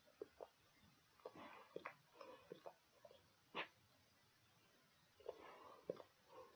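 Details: Dog chewing pig ears indoors: irregular dry crunching and gnawing clicks, clustered in short bursts with quiet gaps between bites, in a small quiet room.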